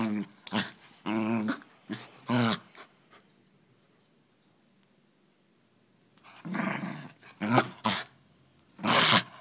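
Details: Poodles fighting: harsh growling bursts in two clusters, several rapid snarls up front, then a quiet pause of about three seconds before louder, noisier growls and snaps resume.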